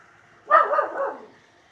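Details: Miniature Schnauzer named Jake, hunting the yard and acting fierce, gives one sharp bark trailing into a short growly tail, over a faint steady background hum.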